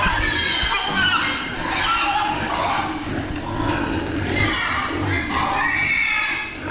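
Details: Meat pigs being raised on a farm, a crowd of them squealing together: shrill, harmonic squeals rising and falling over a dense, continuous wash of barn noise lasting the whole stretch.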